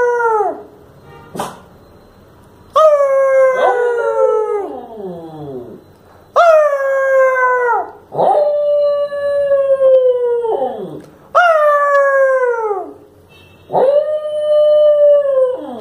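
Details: Pet Lhasa Apso Shiro "talking" with his owner one evening: a series of five drawn-out howls, each starting high and sagging downward, separated by short quiet gaps, with a faint whimper near the start.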